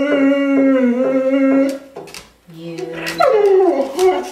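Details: Ten-year-old female Curly-Coated Retriever performing a nightly song, "Till There Was You"; a person holds steady sung notes, then the dog lets out a rising-then-falling wavering howl.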